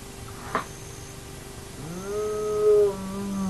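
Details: Hyena at an active den of the Naledi clan, recorded by a remote camera: a brief click, then one long, smooth whine that climbs slowly and holds near its peak before easing off.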